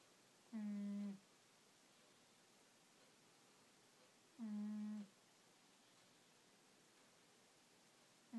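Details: Angela, a pet cat, snoring while asleep indoors: short, low, humming snores with a buzzy tonal quality, each lasting just over half a second and recurring about every four seconds in an otherwise quiet room.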